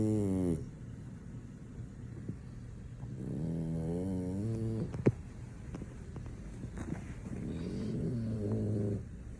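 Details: Sleeping French Bulldog, not waking, gives low rattling snores; a short snore opens, then two longer buzzy inhalations follow a few seconds apart, with a soft click between.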